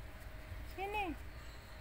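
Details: A one-eyed cat named Kelvin, indoors, gives a single short meow rising then falling, with clear harmonic bands, over low background hum.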